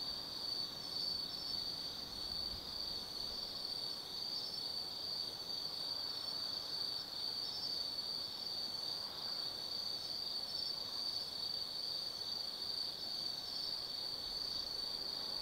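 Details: Autumn insects singing at night in the Tsukimi no Mori forest, Kaizu, Gifu Prefecture, Japan, 180 m above the Nobi Plain: a steady high ringing trill with faint pulsed chirps above, continuous throughout, with a soft distant hum beneath.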